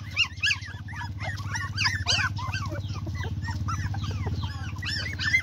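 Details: A litter of puppies keeps up a constant stream of squeaky, bending whines and yelps, several overlapping at once, over a steady low mechanical hum.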